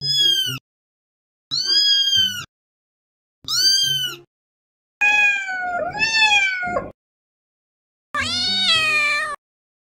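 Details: Domestic cat giving five separate meows, the first three short and bright with a falling end, then a longer wavering one and a final drawn-out, slightly rising meow, with quiet gaps between.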